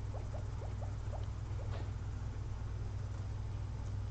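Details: Two sleeping pet guinea pigs after a long day of frozen blueberries; a quick run of about five short rising squeaks opens, then fades into steady low hum.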